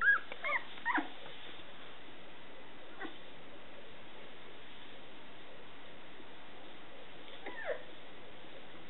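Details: Small Scottish Terrier puppies from Etna's litter: a quick burst of high, bending squeaks in the first second, then near quiet until a short whimper around seven and a half seconds.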